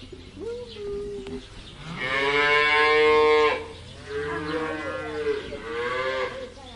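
A cow gives a short moo, then a long, loud, strained moo lasting over a second, followed by two softer drawn-out moos; faint background noise.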